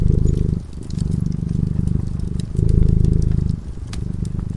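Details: A cat drifting into slumber beside a cozy fire purrs in a low continuous rumble, pulsing with each breath about once a second, while soft crackles from the burning logs sound above.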